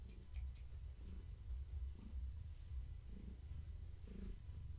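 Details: Gaia, a pregnant long-haired tabby cat, purrs while being petted indoors in the evening. The deep continuous rumble swells in soft pulses about once a second with her breathing, with faint rustling above.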